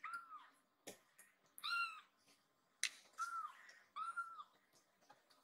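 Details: Rescued baby kitten lost inside a room indoors, meowing as if asking where its friend is: soft, thin, slightly falling meows repeated about every second or so, with clicks and handling noises between them.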